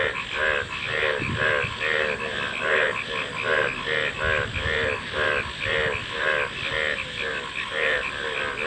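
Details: Several frogs croaking fast and continuously, each call a short rasping pulse repeated about twice per second, voices overlapping in a rolling chorus with light hiss behind.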